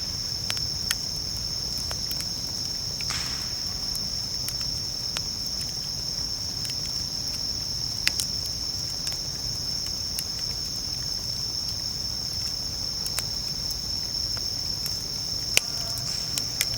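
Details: Unbroken high ringing song of bell crickets by a campfire at camp, with the fire snapping and popping at irregular intervals and a low crackle running beneath.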